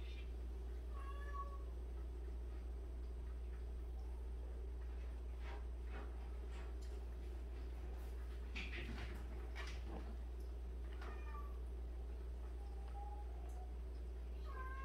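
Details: Soft, sliding meows from a colony of 76 abandoned cats recur every few seconds: early, around eleven seconds, and again near the end. Scattered clicks and scuffles sound in the middle over a low constant hum.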